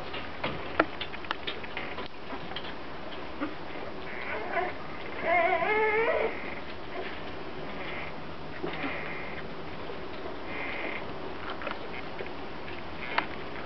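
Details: Grand Basset Griffon Vendéen puppies indoors, with a wavering, whiny whimper near the middle, a few shorter squeaky whines later, and scattered soft clicks and rustling over steady background hiss.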